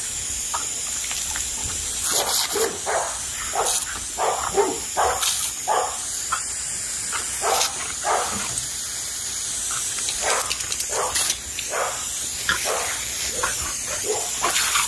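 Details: Boxer and Boston Terrier playing and attacking a garden water hose: rapid bursts of short, clipped barks and huffs, sometimes in quick runs, over a continuous rushing hiss of spray.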